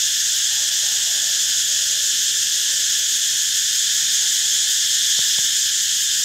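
A cicada drones in a steady, loud, high-pitched buzz that never pauses.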